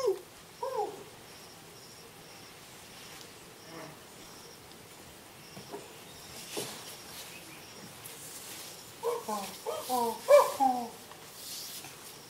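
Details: Chimpanzees at Abuko Nature Reserve, The Gambia, recorded close up against a quiet background: a few short hooting calls at the start, then a burst of rising, wavering hoots near the end, with faint insects throughout.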